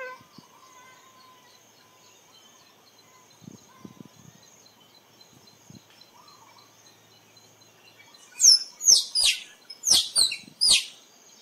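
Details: After eight seconds of near quiet with a faint high hum and a few soft clicks, a squirrel breaks into a burst of piercing, downward-sliding chirps, about seven notes in three seconds.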